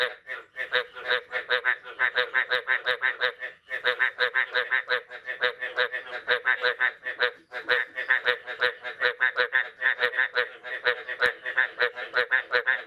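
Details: Frogs after the year's first rain, morning of 9 May 2022, forming a dense chorus of overlapping rasping croaks that run almost continuously, broken by two brief pauses, with occasional sharp clicks.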